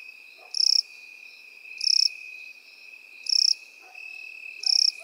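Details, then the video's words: Crickets in field grass, a field scene with grasshoppers too: four short buzzy high bursts spaced roughly 1.3 seconds apart over an unbroken thin, high-pitched trill, plus faint low rustles. "Сверчки и кузнечики в полевой траве"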